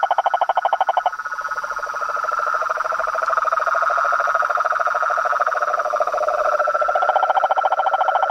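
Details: Chorus of frogs and toads: rapid pulsed trilling around the mid range at the start, then a dense continuous droning chorus, with a second pulsed trill joining near the end.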